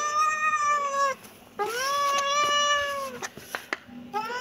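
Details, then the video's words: A kitten gives long, sustained meows, each a steady high tone with strong harmonics, the second one slightly rising then falling, followed by a few sharp clicks before another mew begins. "Kitten meowing"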